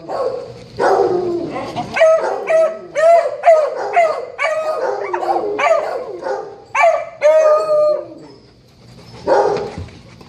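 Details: Dog howling the morning after a Cavs game, a dense stream of quick, warbling, wailing notes that bend up and down, fading near the end before one final moaning cry.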